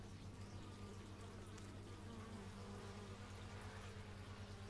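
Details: Bees recorded in stereo on an x/y microphone: a steady low droning hum with faint wavering higher tones drifting as insects pass, constant and even throughout.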